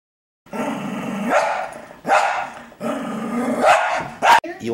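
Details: Female Cocker Spaniel indoors, vocalizing in what her owner calls asking for beer: drawn-out, moaning, harmonic whine-like sounds in several bursts, with a man's voice talking to her in between.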